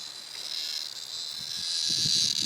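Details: Trapped in the mouth of Peggy, a dog who will not let it go, a cicada keeps up a thin, even, high buzz that grows louder toward the end, joined by low thumps and rustling of the dog moving.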